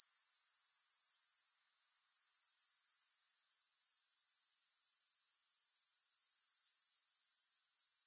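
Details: Grasshoppers sound a bright, high, buzzing trill in rapid regular pulses. It drops out for a moment near the start, then resumes steadily. No music is heard.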